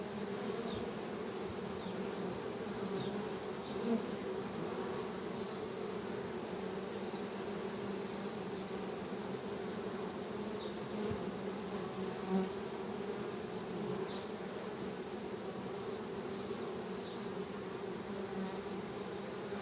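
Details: Honey bees producing a long, continuous low buzz lasting nearly twenty seconds, the droning tone and its harmonic steady and unbroken, with only faint scattered ticks above.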